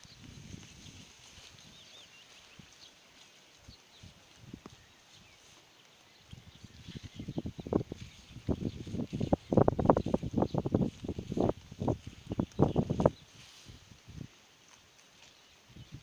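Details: Sheep grazing on a pasture: after quiet opening seconds, a close run of rapid, crisp tearing and munching bursts, several per second, swells loud mid-clip, then stops; faint bird chirps high in the background.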